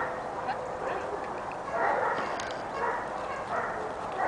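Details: Kali, a six-month-old pepper and salt Giant Schnauzer puppy, gives a few mid-pitched barks in short bursts over a steady background hiss.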